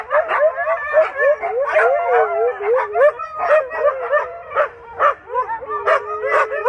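Several Siberian Huskies vocalize together in a sustained, sing-song chorus, each voice sliding and wobbling in pitch. Short yips and whines break in between the longer, drawn-out howling notes.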